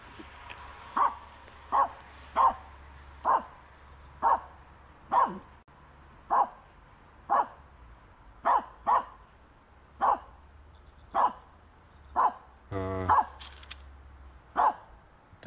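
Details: Aamu, a Finnish Spitz, harassing a squirrel at the start of a walk, barks steadily, with a short sharp bark roughly every 0.7 seconds throughout and a brief whining note near the end.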